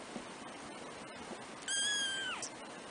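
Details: Kitten mew from a litter of four black kittens aged three weeks, first-born of the cat Trisya: one clear, high, harmonic-rich cry that holds, then slides downward, over soft background hiss.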